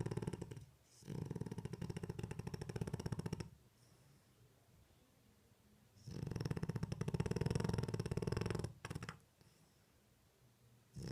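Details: French Bulldog asleep with its eyes open, snoring in a small room: pulsed, rattling low snores of roughly three seconds, about two breaths with soft quiet stretches between them and another snore beginning at the end.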